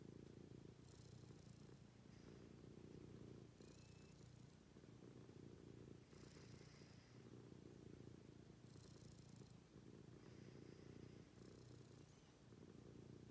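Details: Cat purring in the morning, a quiet, low, steady rumble that rises and falls with each breath roughly every two to three seconds, with soft airy hisses on the inhales.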